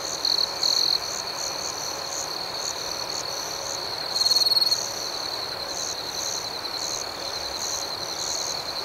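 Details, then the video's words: Crickets sing at night in a thick high chorus of steady trills and rapid pulses. Short loud bursts come from a close caller at the opening and again midway. "Soothing Cricket Sounds"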